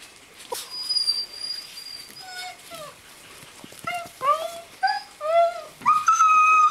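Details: Greenland Dog puppies, seven weeks old, at play together on a kennel farmyard in June: a quiet start, then a run of rising and falling whimpers and yips growing louder toward the end, over a soft background hiss.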